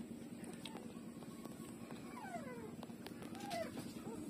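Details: Puppy Lulu nursing from its mother: a few thin, high whimpers that slide downward, with one short whine near the end, over a steady low hum and crackling background noise.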